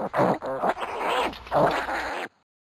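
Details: Pot-bellied piglets, one week old, wrestling: hoarse grunts and nasal squeals come in a quick string, then a scuffling thump before the sound cuts to silence.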